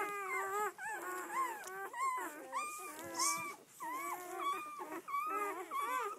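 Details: Doberman Pinscher puppies, red-rust, from a litter of seven females and four males, on their first outing, producing steady high whines with bent, wavering pitch, some short yips breaking in between.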